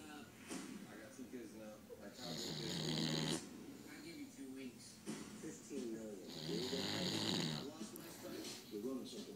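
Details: A sleeping female English Bulldog snores loudly in two long, rasping bouts, each breath a rough, fluttering rumble with a wheezy hiss, while television voices murmur underneath.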